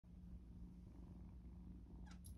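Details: Spring 2024 foster kittens in their room in San Diego, a gray kitten and a small black kitten purring while staying together rather than hiding. The purr is a soft, steady, low rumbling hum with a brief rustle near the end.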